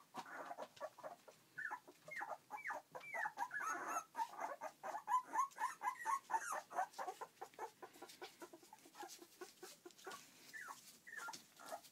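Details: Newborn Border Collie x Basenji cross pups, born 21 February 2012, taking their first steps, squeak and whine in quick, uneven bursts, some rising then falling, with soft shuffling and rustling throughout.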